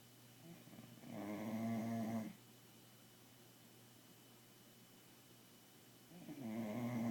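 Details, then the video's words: Bulldog puppy asleep at night at home, snoring: two long rasping, buzzy breaths about four seconds apart, each lasting over a second, with a quiet pause between. "Puppy Bulldog Snoring"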